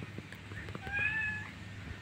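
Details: A single drawn-out cat meow, recorded indoors while a kitten is nursing, with a clear harmonic tone that rises slightly and then falls over about half a second, set against a low steady hum and soft background knocks.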